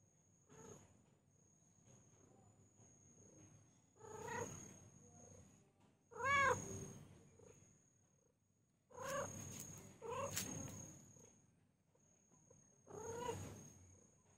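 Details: Domestic cat or kitten indoors giving a series of drawn-out meows, each with a clear rising then falling tone, about six calls spaced two to three seconds apart, over a faint steady high whine.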